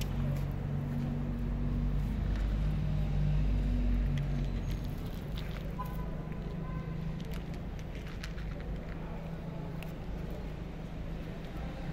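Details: A steady low rumble of engine or traffic noise fills the recording, with a few faint thin tones and muffled sounds. No meowing or other animal call stands out.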